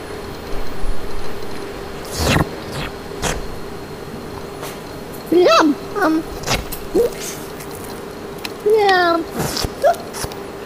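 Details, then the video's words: Chrissy, a female Himalayan cat kept as a pet and billed as able to talk, filmed with a Canon 7D: a run of short, bending, speech-like meows in the second half, some rising then falling, over a steady low hum with scattered knocks. "TALKING CAT"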